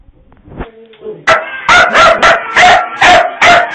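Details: Startled by a Halloween prop, puppies break from a few quiet yips into loud, harsh barks repeated about twice a second.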